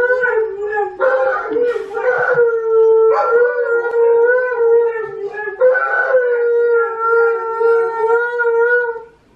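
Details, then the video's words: Siberian Huskies indoors howl along with a Malamute on television: long, drawn-out, steady tones, several voices overlapping in layered harmonics, each held for seconds with brief breaks between them. "Huskies howling"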